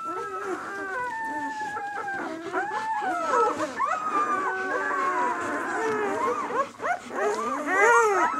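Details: Six-day-old White German Shepherd puppies of the "of White Night" B litter produce a tangle of drawn-out, wavering whines and short yelps from several pups at once, building to sharper cries toward the end.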